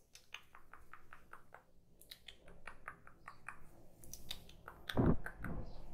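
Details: Kitten eating, recorded close up for relaxation: a quick run of sharp, dry chewing clicks, then louder crunchy bites near the end, in a quiet small room.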